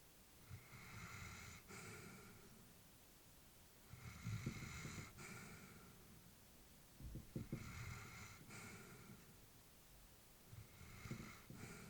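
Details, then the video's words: Old female Labrador sleeping peacefully indoors, breathing with a soft snuffling snore, four unhurried breath cycles, each a rumbling inhale with faint snorts followed by a hissy exhale, in a hushed room. "Elderly dog sleeping with breathing sounds"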